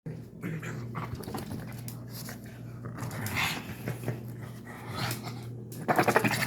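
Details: Pug making odd sounds indoors after a bath: a steady low rumbling snort runs throughout, broken by rough breathy bursts, with a louder scuffling flurry near the end.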